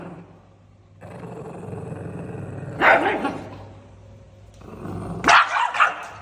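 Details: Irritated pug: a low growl builds for about two seconds, followed by a harsh bark, more quiet growling, then a final burst of two or three rasping barks.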